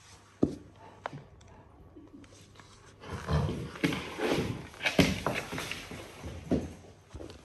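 A Cane Corso gives rough, throaty grunts and growls in short bursts during play.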